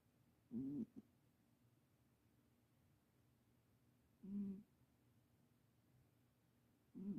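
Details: A ten-year-old Himalayan cat, just adopted, snoring indoors: three short nasal, tonal snore breaths spaced about three seconds apart, with quiet between them.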